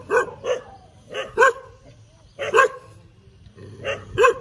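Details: Dog barking while wagging its tail: about eight sharp, mid-pitched barks, often in quick pairs, separated by short pauses, with a quiet background.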